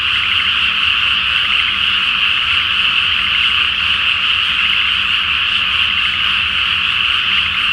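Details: Night chorus of many frogs in a rice paddy flooded ahead of planting, full moon reflected on the water in Japan; an unbroken wall of rapid, pulsing croaks from countless callers.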